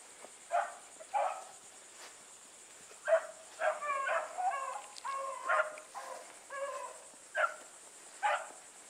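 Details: Pack of Blueticks on the run alongside Sassy, several hounds giving spaced, fairly faint bays, some short and clipped, some drawn out with wavering pitch, against a constant high-pitched hiss.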